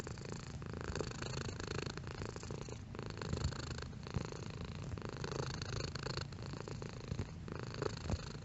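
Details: Domestic cat purring at varying intensity: a steady low rumble pulsing with its breathing about once a second, with brief quieter gaps between breaths.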